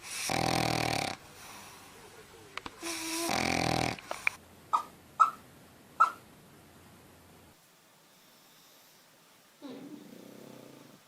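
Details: Dog asleep and snoring: two harsh, rasping snores near the start, then several short, sharp snorting clicks, a quiet stretch, and one faint soft breath near the end.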